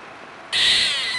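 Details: A squirrel lets out one harsh, hissy screech under a second long, bursting in after a quiet start, holding steady with a bright, high-pitched band, then cutting off sharply.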